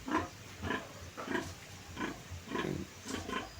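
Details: Sow on a provincial pig farm, bathed after her piglets were weaned: short rough grunts repeated about every half second to second in an uneven rhythm, moderately loud and close.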